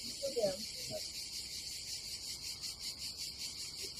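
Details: Continuous high-pitched cicada drone on a summer day at an Adriatic campsite in Croatia. The buzz ripples gently, and a brief murmur of voices and handling sounds comes at the start.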